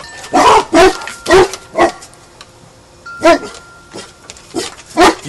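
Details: Guard-duty training for a dog named Hannah: a series of short barks comes in uneven bursts, with a person's coaxing voice urging "You see him? Get him."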